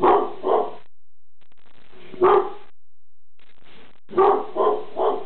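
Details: Pet dog Reggie barks at something in the kitchen, giving a quick double bark, a lone bark after a pause, then a tight burst of three hoarse barks, with quiet room tone in the gaps.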